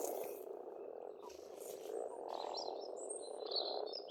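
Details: Frogs calling in spring at a pond on a farmstead in Estonia: a dense, steady purring chorus fills the background while birds add thin high whistles and short chirps on top.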